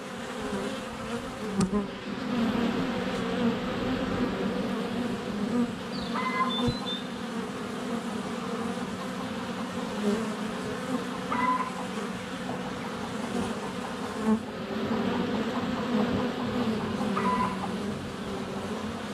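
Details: Sunny February hive entrance with honey bees constantly flying around a GoPro less than a foot away: continuous humming drone throughout, a few soft knocks and faint distant birdsong phrases.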